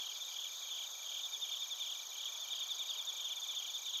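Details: Bell crickets and other crickets calling together in Narita, Chiba Prefecture, Japan, on a TASCAM Portacapture X8; an unbroken piercing trill overlaid with irregular rapid chirps about two or three a second.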